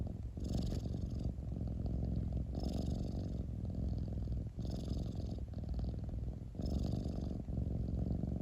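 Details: Domestic cat purring: a steady, deep, pulsing rumble with a breathy hiss on each breath, rising about every two seconds, four breath cycles in all, nothing else heard.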